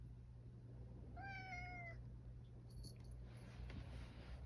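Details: Male rescued cat back home indoors and hungry gives one drawn-out, slightly falling meow lasting under a second, clearly harmonic, followed by soft rustling and a low steady hum in the room.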